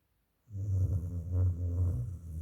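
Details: One loud dog snore after a brief silence: a deep, steady, rumbling rattle lasting about two seconds.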